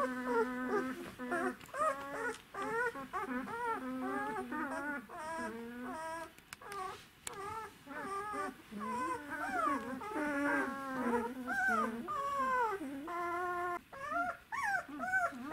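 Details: Czechoslovakian Wolfdog puppies, twelve days old, from the Orizon and Rahan litter, recorded 3 December 2020: a steady stream of short, high, wavering whines and squeals, rising and falling in pitch, overlapping one another almost without pause.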